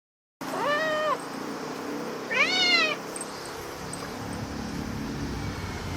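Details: A domestic cat meowing excitedly after finding a cicada: two clear harmonic meows, the first level and about a second long, the second rising then falling, over a steady low background hum.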